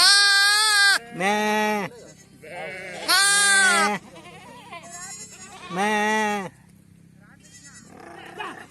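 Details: Sheep at a PPR vaccination, a mother calling for her lamb: four loud, wavering bleats about a second long each, spaced by short gaps, with fainter bleats and some people's voices between them.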